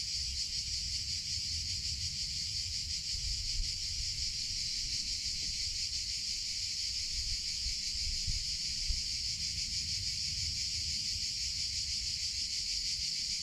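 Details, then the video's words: Summer cicada chorus, a continuous shrill buzz held at an even loudness throughout, with a faint rapid flutter in the tone, a couple of soft clicks, and a low rumble beneath. "CICADA SOUNDS - Sound Effect of Cicadas in Summer Sounds of Cicada"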